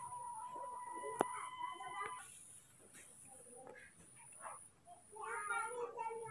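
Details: Baby monkeys Moni and Mino, scared and angry at the sight of a new person filming them: a tonal, harmonic cry held near steady for about two seconds, then broken by human talk and scattered short sounds.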